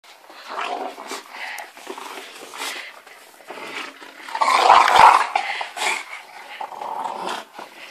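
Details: An English Bulldog attacking tiger slippers gives low, rasping growls and snorts in quick, uneven bursts, with one louder, harsher snarl midway, then muffled grumbling and a faint human voice.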